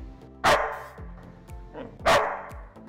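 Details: Inertia, a dog, barks on the cue 'speak' during a test of a Furbo camera's barking alert. Two sharp, loud barks come about 1.6 seconds apart over soft background music with a steady ticking beat.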